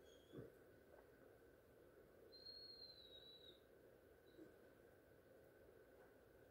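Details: Great Dane whining for attention: one drawn-out, thin, high whine holds fairly level for about a second midway, with a brief faint squeak later and a constant low hum underneath.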